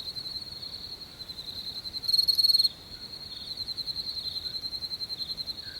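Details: Crickets in nature keep up a steady, high, shrill trill with fast pulsing throughout, swelling into a brief louder burst midway before settling back to an even drone.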